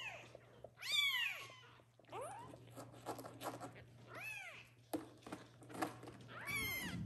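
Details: Kittens calling loudly for the mother cat to come back and nurse them, indoors; several high, arched meows with bright harmonics, some strained and squeaky, overlapping in quick succession amid faint rustling.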